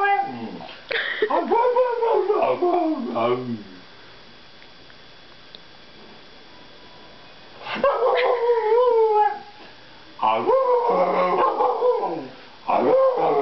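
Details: Bernese Mountain Dog singing in a sing-off, answering with long wavering howls that glide downward, three howling bouts separated by quiet pauses, with a person's voice mixed in.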